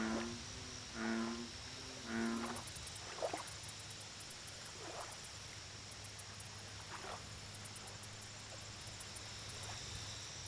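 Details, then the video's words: American bullfrog at a lake giving two low, throaty croaks in quick succession early on, then quieter lakeside ambience with a faint low hum, a constant shrill insect drone and occasional soft chirps. "Bullfrog Lake Audio Only - Nature Sounds"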